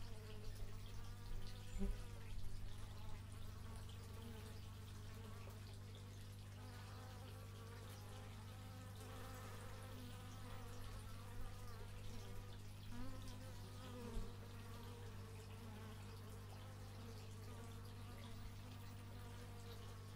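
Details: Stereo x/y microphone recording of bees, with many overlapping buzzes whose pitch bends and wavers throughout, occasional louder close fly-bys, and a continuous low hum underneath.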